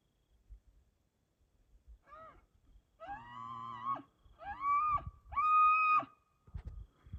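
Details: A bugling 6x6 bull elk (Cervus canadensis) in bow season answers a hunter's calls with long, high, whistling notes that rise and hold before breaking off.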